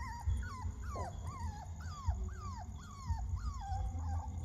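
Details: Puppies give a run of high squealing whines, each rising sharply then dropping away, repeated roughly every half second, with fainter cries overlapping and a low steady hum beneath.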